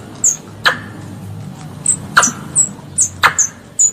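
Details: Squirrel pest calling to its mother: scattered high, sliding squeaks and a few sharp clicks. About nine notes are spaced irregularly, with a low hum behind them.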